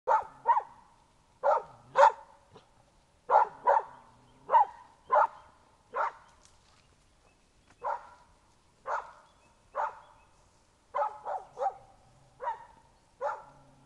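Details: Young dog following a laid scent trail marked with a dragged bearskin piece and diluted bear blood, barking on alert at a person in a bear suit at the trail's end: short sharp barks in irregular bursts, about fifteen in fourteen seconds.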